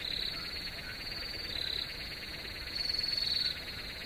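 Several crickets call together in a dense, high-pitched chorus that pulses rapidly without pause. Every second or so, one caller's trill swells louder for a moment before sinking back into the steady background.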